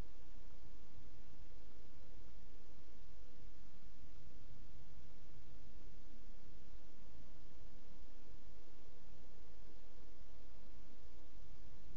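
Only a steady low hiss and rumble with faint rustling; no animal calls stand out.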